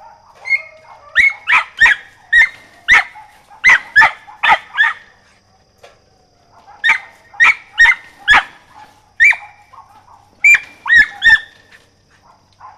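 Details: Mountain feist puppy Rosie, aged 4½ months, barks during squirrel training: rapid strings of shrill yaps, four to six in a row, separated by short silences, over a faint humming background tone.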